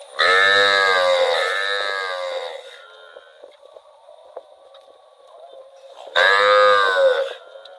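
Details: Cow wandering in rural rice fields, giving a long harmonic moo that rises and falls over about two seconds, then a second shorter moo after a quiet gap, with a steady high tone in the background.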